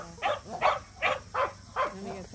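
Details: Samoyeds Mozart and Zuko at a local match show, their first ever: five short, harmonic barks in a steady run about every 0.4 seconds, with faint talk in the background.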